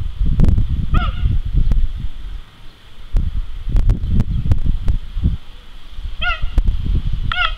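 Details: Male cheetah Jango, Zoo de la Boissière du Doré, 21 September 2014: one short, high chirp early, then two more near the end, separated by low rumbling and thuds.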